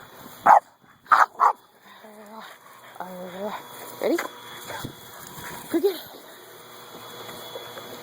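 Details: During frisbee play, Buddy the dog fires off three quick loud barks in the first second and a half, followed by softer yelps and a person's voice.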